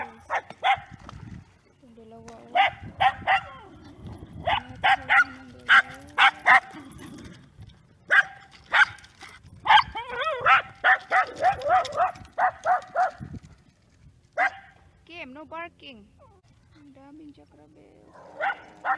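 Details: Scottish Terriers barking in short, sharp harmonic bursts, several in quick runs with pauses between, followed by a few whiny, wavering yelps; people's voices are faintly heard in the background.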